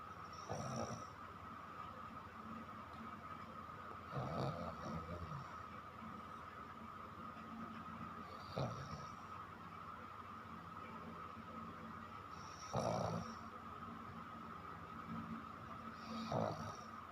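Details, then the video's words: Chiko, a pet dog, snores while asleep at night, each rough rattling inhale spaced about four seconds apart, with a steady electrical hum underneath throughout. "Funny Snoring Dog"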